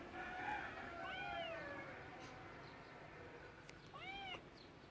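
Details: Domestic cat meowing, with two or three arched, harmonic mews spread across five seconds over a soft, steady background hiss.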